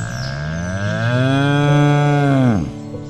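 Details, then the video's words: Single deep, drawn-out cow moo of about two and a half seconds, holding steady then falling sharply at the close, with faint music behind. "Koala, Goat, Cow Sounds"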